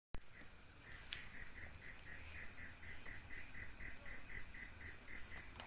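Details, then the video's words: Real cricket chirping, possibly a rice-field cricket or a fighting cricket: a steady, piercing high trill pulsing about four times per second without pause, with one faint click near the start. "Suara Asli jangkrik Ngerik"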